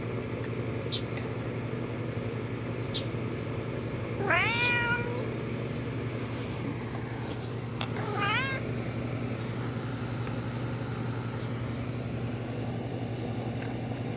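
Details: House cat talking to a friend outside the window: two separate meows about four seconds apart, the first rising and falling, the second shorter and upswept, amid long stretches of low background hum and faint clicks.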